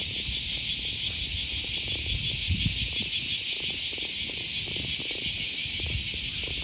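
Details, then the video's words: Cicadas singing on an August 2020 morning by the Okawa River near Sakuranomiya Park, Osaka, Japan: an unbroken shrill, buzzing chorus with a gentle pulse, plus footsteps and distant city hum. "Walking along the river, with the voice of a cicada"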